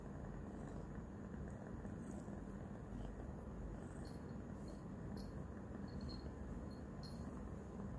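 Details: Roxa, a new kitten three days into her new home and still shy of noises, purring loudly while licking and biting a hand. A dense, steady low rumble runs unbroken for the whole stretch, with faint high ticks above.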